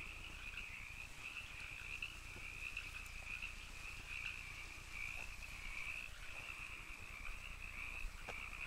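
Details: Continuous rasping trill from a group of canyon frogs, even and unbroken throughout, with occasional faint ticking sounds in the background.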